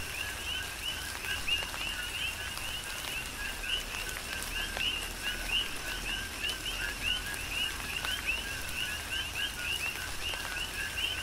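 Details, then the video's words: Rhythmic chorus of coqui frogs under tropical rain on the Big Island of Hawaii: many frogs trade rising two-note chirps almost without pause, with drops tapping and a steady hiss of rain. "Tropical Rain & Coqui"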